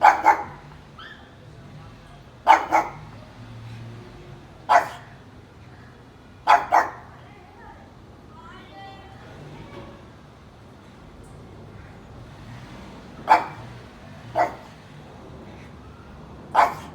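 A pug barks in short, rasping bursts, sometimes doubled, spaced a couple of seconds apart. A brief murmur of human voices can be heard during one quiet stretch.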